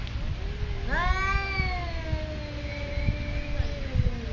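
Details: One of two territorial cats at a Thai resort lets out a single long yowl, abruptly rising then easing down in a slow descending glide lasting about three seconds, with low background rumble.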